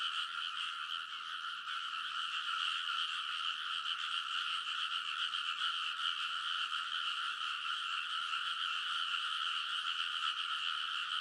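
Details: Midnight rice paddy in Kōnosu, Saitama, Japan, early summer: a mass of frogs croaking together along the ridge, captured with a TASCAM Portacapture X8, unbroken overlapping croaks of steady loudness throughout.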